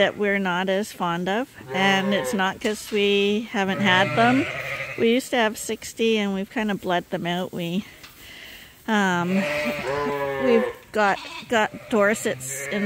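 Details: Many lambs on a farm, bottle babies being trained to drink from a bottle in a holder, keep up a near-constant chorus of quavering bleats. Short cries overlap, with a brief lull midway before the bleating resumes.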